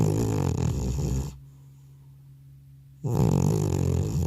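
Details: Elderly domestic cat deeply asleep indoors after returning from a vet visit, recorded without a separate microphone: loud, rough, low rumbling snore ending after about a second, a quiet pause, then the next raspy snore beginning.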